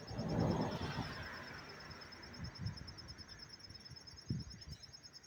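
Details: Cricket chirping up close in Tarrytown, New York, on September 27, 2023: a faint, steady, finely pulsed high trill runs throughout over low rumble, with a brief voice at the start.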